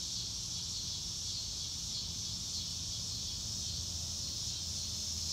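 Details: Outdoor cricket chorus under a blue sky, recorded in real time without music: a continuous, high-pitched, even buzzing shimmer that barely changes, over a soft low rumble.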